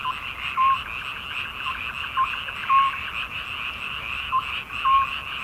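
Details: Midsummer frogs calling together: a constant pulsing croak overlaid with short clear notes at uneven intervals, the loudness rising and falling in waves.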